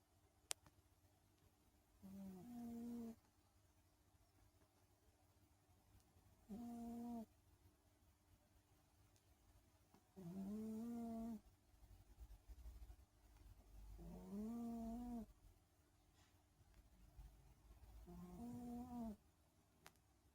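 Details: Sleeping pet cat snoring: soft low nasal breaths, each about a second long, repeated roughly every four seconds in a steady rhythm, against faint room hum.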